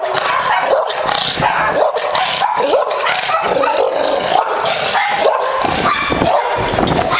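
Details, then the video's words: American Bulldog described as very aggressive, barking hard and repeatedly over seven seconds, sharp bark bursts interleaved with whining yelps and rough growly noise, sustained at high volume. "Very Aggressive American Bulldog"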